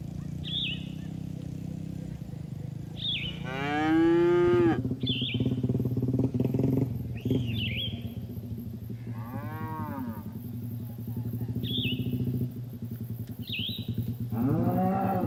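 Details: Cattle herd on green pasture, eating grass; three separate moos, the first long and loud, later ones shorter and rising-falling, while small birds chirp repeatedly in short high notes throughout.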